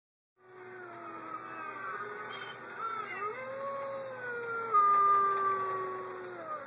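Several wolves howl together in long, sliding, mournful tones that overlap and waver.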